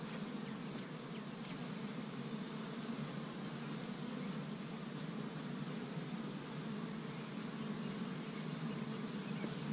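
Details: Honey bees busy at an established hive on the first warm spring day in Michigan, gathering pollen from tree buds; a steady, dense low buzzing drone from many bees continues throughout, with a faint hiss above.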